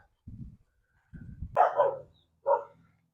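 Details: Village dogs barking in the rural Sisaket countryside of Thailand, many of them joining in one after another like a chorus or warning signal. Faint low grumbles are heard first, then two louder, sharper barks at a distance.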